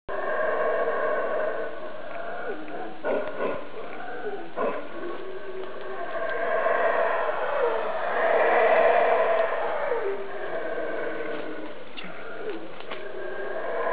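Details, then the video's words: A howler monkey, unseen somewhere overhead, gives deep, rasping roars that swell and fade in a sustained, overlapping chorus. "Sounds of the Howler Monkey"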